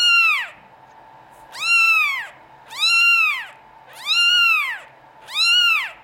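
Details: Norwegian Forest Cat kittens of European lines at a cattery, meowing in loud, high, harmonic-rich cries that rise then fall, five calls roughly every second with short pauses between.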